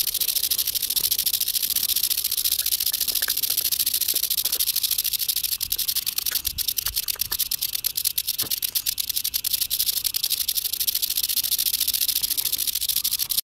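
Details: Rattling eastern diamondback rattlesnake, Georgia, 2015: a long unbroken high-pitched hiss-like buzz, broken midway by a run of sharp clicks and faint low thumps.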